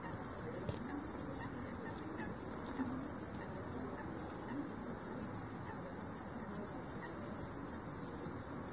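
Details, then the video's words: Male speckled bush cricket, Leptophyes punctatissima, heard in the evening. Its ultrasonic song of soft ticks is made audible with a bat detector, giving a fast, even train of high clicks over a steady hiss. "''Zingende'' struisprinkhaan/Speckled bush cricket Sound (Leptophyes punctatissima)"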